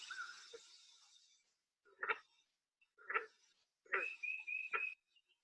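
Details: Green frog (Lithobates clamitans), banjo call.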